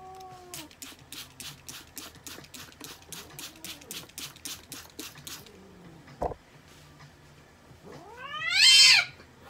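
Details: American Shorthair cat at a veterinary clinic during treatment; a rapid run of regular clicking pulses fills the first half, then a loud, harmonic, rising-then-falling meow near the end.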